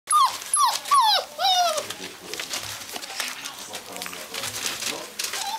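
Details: Gordon Setter dog, probably indoors, giving a run of three or four high, sharply falling whines in the first two seconds, then quieter whimpering with soft rustling.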